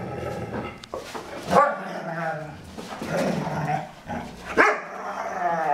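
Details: Foster dogs Maddie and Stella at play; Stella, the bigger one, voices strange sounds though the pair are having fun. Continuous rough growling and moaning whines run throughout, punctuated by two sharp yelps.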